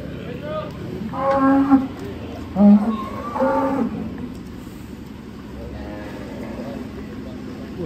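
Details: Black contest-champion bull at a cattle show in Blitar, Indonesia, giving deep harmonic moos around 1 and 3 to 4 seconds, with a crowd talking, background music and a vehicle in the distance.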